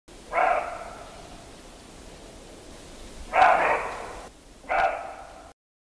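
A muntjac gives three short, harsh, dog-like barks, spaced irregularly a second or three apart, over a quiet background hiss.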